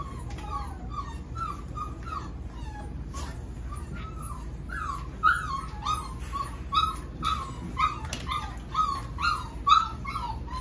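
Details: Seven-week-old Golden Retriever puppies from Pearl's litter whimpering and yipping: a steady run of short, high, rising-falling whines, several overlapping, growing louder and more frequent in the second half over a low background rumble.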